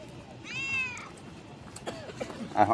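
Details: Office cat outdoors at midnight, being fed biscuits bought from a shop, gives a single clear, tonal meow of about half a second that rises slightly and then falls. A person then speaks, calling the cat over.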